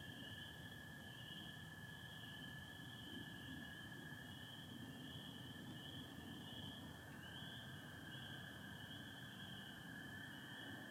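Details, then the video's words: Michigan chorus of spring peepers alongside American toads, 24 April 2025, stars and satellites with some overcast: a shrill unbroken peeping band over a continuous lower trill that briefly shifts pitch midway, low rumble in the background. "Sounds of spring peepers and american toads"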